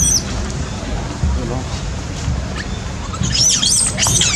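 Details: Two baby monkeys, Lori and Polly, scream while apparently scared. Steady noise fills the first three seconds, then shrill, high-pitched arched screams burst out repeatedly near the end.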